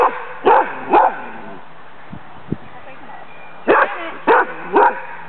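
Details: During a Danish Kennel Club temperament test on 14 April 2007, the female dog Sammy (Lewanika Dumisani) barks twice, falls quiet for about two seconds apart from faint knocks, then barks three more times in quick succession.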